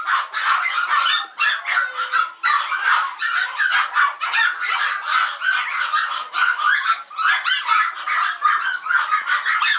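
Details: Barking Yorkshire Terriers at a Maltese and Yorkshire terrier breeder, evening of 16 November 2012, a continuous din of high, harsh yaps from several dogs overlapping, pulsing loud and soft with barely any pause.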